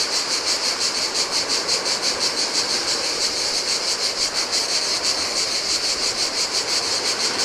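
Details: Chorus of cicadas in summer heat on a lonely Greek island beach by the Adriatic: a steady, shrill buzz throbbing roughly three times per second, with the hiss of gentle waves beneath.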